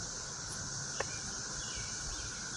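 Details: Cicadas, some flying about a backyard garden, drone in a steady, high, machinery-like hiss that never breaks, with a single sharp click partway through. The sound is expected to grow louder over the next week or two.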